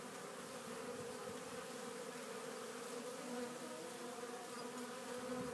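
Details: Spring hum of honey bees bringing pollen into a Warre hive entrance on April 12th. The steady, dense drone holds an even pitch and loudness throughout, with no pauses.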